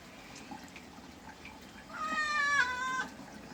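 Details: Cat during a bath letting out one long, strained meow lasting about a second, held steady then sagging at the end, after quiet background music and faint speech.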